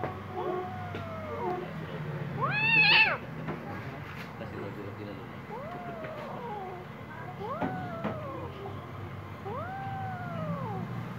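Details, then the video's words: Angry little kitten meowing: five drawn-out, arching meows rising then falling, one higher and strained near three seconds, spaced roughly two seconds apart over a steady low background hum. "Little Kitten Angry"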